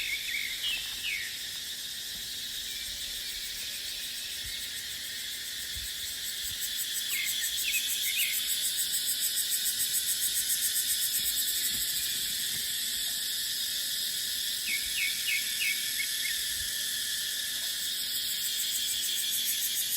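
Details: Dry-season dipterocarp forest alive with cicadas, their continuous shrill drone swelling louder in the middle, while a bird adds short chirp bursts now and then over a light breeze.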